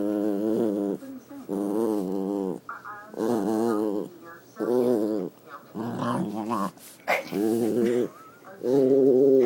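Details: Dog vocalising with pleasure while being petted, making odd groaning, half-choking noises; long wavering moans in drawn-out bursts about a second each, separated by short gaps, with a person murmuring nearby.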